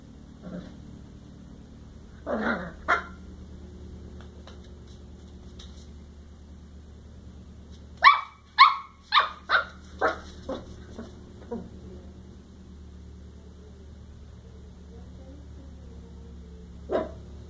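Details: A cocker spaniel puppy barks at a ball it has just met, giving high, sharp yapping barks, a quick burst and then a few singles.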